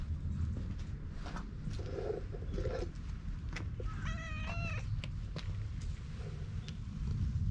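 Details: A stray cat gives a single short meow, a bright harmonic cry of under a second, over steady low rumbling handling noise from a GoPro, with a few soft rustles and clicks around it.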